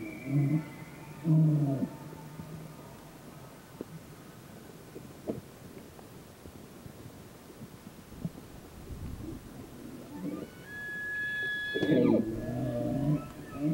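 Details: Bull elk during the mating season: a short bugle opens with a whistled note over deep grunts. After a quieter stretch, a longer high, clear whistle with a layered overtone follows, backed by coarse, throaty grunting.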